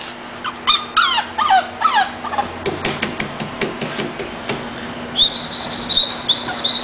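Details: Whimpers from Hermione, an English bulldog, begin as a rapid run of short falling squeaks, give way to soft muffled bumps, then turn into a string of high thin wavering whines near the end, over a constant low electrical hum.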